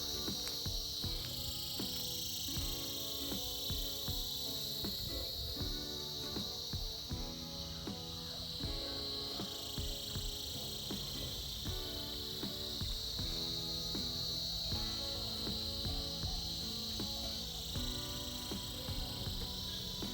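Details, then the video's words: A dense cicada chorus heard in the winter season, its high buzz constant with gentle rises and falls in loudness, while a busy instrumental tune of quick plucked notes runs beneath the whole passage. "Buzzing sounds of Cicadas"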